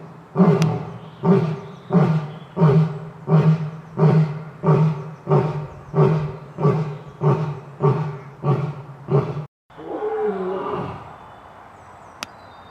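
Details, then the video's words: Lion giving a roaring sequence: about fourteen short, deep grunting pulses repeated steadily roughly every two thirds of a second, then a brief pause followed by a longer, drawn-out rasping roar fading out; one faint click at the end. "lion sound effects"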